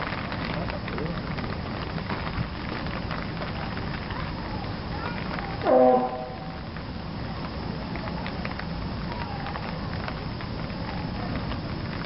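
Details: A sleepy California sea lion (Zalophus californianus) pup at Ueno Zoo, Tokyo, gives one short, hoarse bleat against steady background hiss.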